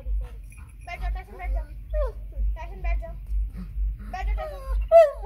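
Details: Jealous family Labrador, upset that its owner is playing with a German shepherd puppy, whimpers in wavering, high whiny notes that rise and fall in short bursts. A person speaks Hindi over it, with steady low thumping beneath.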